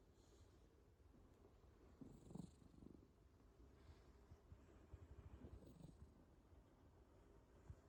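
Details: Domestic cat snoring softly while asleep: low, rough breathing rumbles swelling in slow bursts around two and five seconds, otherwise a steady quiet murmur with faint hiss in a still room.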